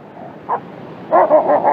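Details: Czechoslovakian Wolfdog barking during playful ambushes: one short yelp, a pause, then a fast run of four or five clipped, overlapping barks.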